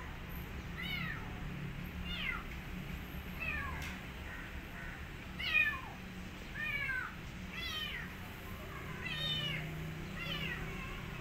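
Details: Rescued kitten calling after her rescue: a run of high, thin, downward-sliding meows repeated about every one to one and a half seconds, with low background rumble.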